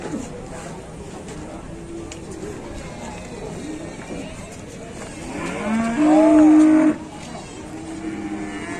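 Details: Super-jumbo fat cattle from an Indonesian cattle keeper, one loud steady moo lasting about a second with a clear tone, after faint distant lowing, against a constant hum of crowd and background noise.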